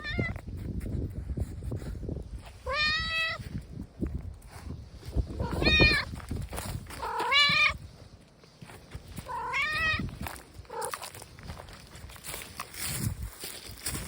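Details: Stray tabby cat coming over while meowing: about five drawn-out, wavering meows, spaced one to three seconds apart, with low rumbling background noise outdoors.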